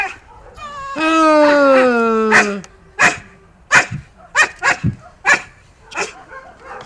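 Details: Akita Inu undergoing behavioural re-education with a trainer for biting aggression gives one long, falling, tonal whine, then about nine short, sharp barks spaced irregularly over four seconds.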